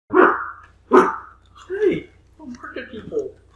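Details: Kuma dog barking at people: two sharp loud barks about a second apart, followed by softer, lower vocal sounds that may be human voices.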